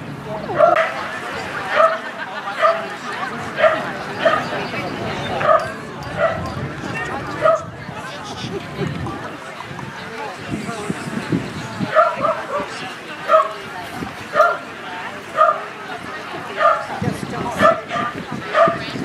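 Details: Norwich Terrier giving sharp, high yapping barks in short bursts, roughly one to two per second with brief pauses, over a steady background murmur.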